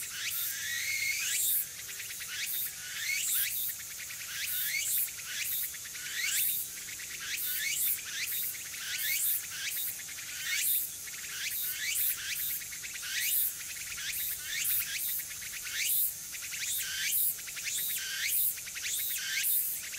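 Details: Tanegashima tsukutsuku-boshi cicadas in early autumn, Nishinoomote, September 2022, calling more in the afternoon; dense overlapping rising buzzy phrases, many repeated strokes in quick succession over a continuous high hiss.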